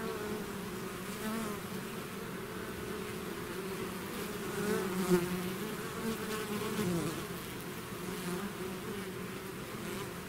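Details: Bee swarm pouring out of its hive, a dense continuous hum with steady low bands and shifting overtones, many wingbeats blending into one droning buzz that swells slightly midway.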